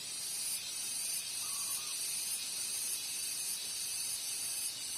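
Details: Cicadas (garengpung) calling together as a chorus, heard alongside spotted doves: a dense, steady high-pitched hiss with faint rhythmic pulsing throughout, plus a brief soft tone near the middle.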